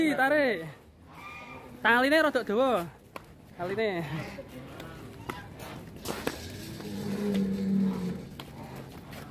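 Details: Huge fat cattle named Dragon Black, led out and taken to the weighing scale: three loud, arching, harmonic moos in quick succession, then a lower steady drone, with men talking and cheering around it.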